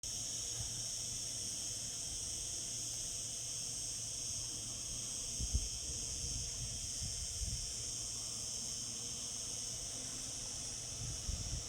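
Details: Cicadas singing in summer: a steady, unbroken high-pitched buzzing drone in several stacked bands that holds level throughout, over a soft low rumble with a few faint thumps.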